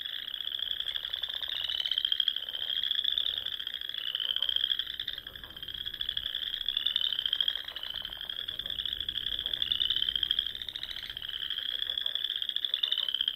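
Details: Spring dusk in the Sandhills of Nebraska, frogs by the lakes and ponds giving a shrill pulsing chorus that climbs and resets in repeated waves about every one to two seconds, with scattered softer lower croaks.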